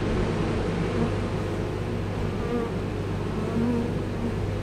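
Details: Honey bee swarm as the queen enters its new hive, the rest expected to follow; a dense, continuous low hum of many bees with faint higher whines drifting over it.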